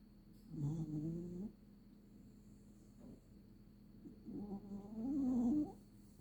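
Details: Puppy asleep under a blanket, giving two drawn-out snoring breaths. The second is longer, with a higher, wavering nasal tone, over a quiet, steady room hum.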